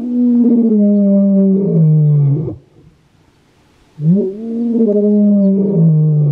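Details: Kalahari lion in the Kgalagadi giving territorial roars, also used to find pride mates: two loud, deep, drawn-out moaning roars, each rising then sliding lower, with a short silent break between.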